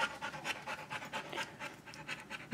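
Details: Dasha, an almost eight-month-old female Rottweiler, during obedience practice: quick rhythmic breathy pants, about four per second, steady throughout, with brief spoken commands just before and after.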